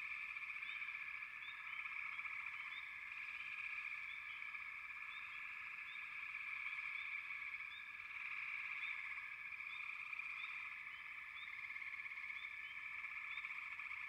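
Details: Frogs calling together in a dense chorus: a steady high buzzing trill overlaid with many short, repeated chirping notes that overlap continuously throughout, with no other clear sounds.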